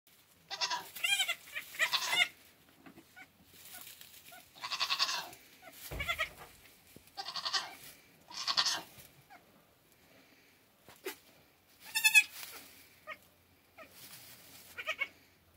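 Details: Newborn Nigerian Dwarf goat buck kid, only two hours old, flirting with the does: high, quavering bleats in short bursts separated by quiet gaps, about six calls, one sharp wavering cry near the end.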